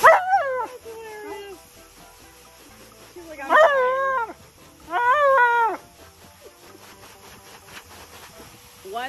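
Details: Male Alaskan Malamute protesting about getting a bath, vocalising in drawn-out, wavering, talk-like howls and whines: several rising-then-falling moaning phrases of about a second each, with gaps between and faint background music.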